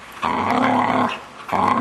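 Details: Young Vizsla, six months old, vocalising during play with its owners in a small room: a sustained harmonic groaning growl of about a second, a brief pause, then the sound resumes.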